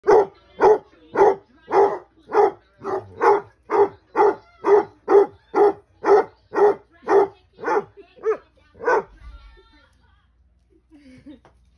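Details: Two Basset Hounds bark and "talk back," giving a steady run of deep, full barks, roughly two each second.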